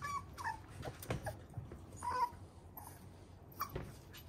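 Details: A fluffy male Toy Poodle puppy indoors gives short, high, thin whimpers and yips. They come irregularly, a few per second, with soft thumps and rustling between them.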